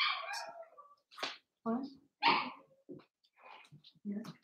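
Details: Overnight on a puppy cam, Cavalier King Charles Spaniel puppies born 06/09/2022 (Cooper, Conner and Jenny, Ruby and Blenheim coats) give high, falling harmonic yelps, then short, separate squeaks and whimpers with silent gaps between.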